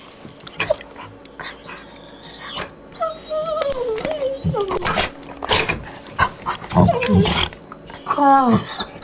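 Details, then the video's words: Two puppies playing together, trading squeaky rising and falling whines, sharp yelps and short low growls in irregular rapid bursts, with a person speaking briefly in the background. "The Complex Language Of Puppies"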